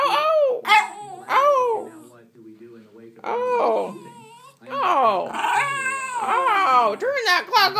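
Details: An old Schipperke howls at a morning alarm clock before dawn, in wavering, rising-and-falling bursts, with a person talking over it.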